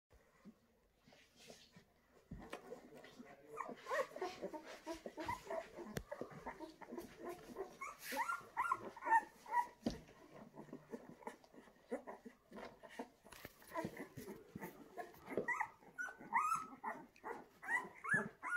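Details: Litter of ten fawn Bullmastiff puppies, seven males and three females, in Reggio Emilia, Italy: many overlapping high yips, whimpers and small barks in a busy, irregular chorus, with a person speaking briefly.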